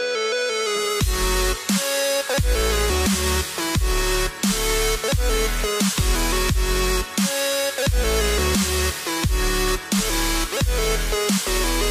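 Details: Loud electronic dubstep music with heavy pulsing bass and sharp rhythmic drops, no animal voices audible.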